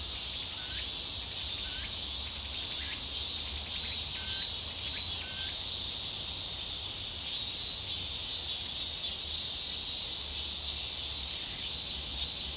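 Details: Three cicada species, Graptopsaltria nigrofuscata, Hyalessa maculaticollis and Meimuna opalifera, recorded locally in Japan, fill the air with a dense, sizzling drone, with short rising chirps from another singer.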